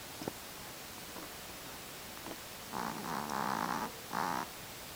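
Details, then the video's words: Koko the cat snoring while asleep: quiet rasping breaths, then two louder buzzy, noisy snore bursts near the end, one long and one short, over a soft hiss. "Koko Pho snoring"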